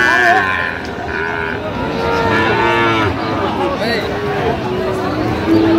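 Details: Sahiwal bull calves at the Aftabganj cattle market in Dinajpur, Bangladesh, on 30 September, start of market day; repeated low harmonic moos and bellows rise and fall amid steady crowd chatter and market noise.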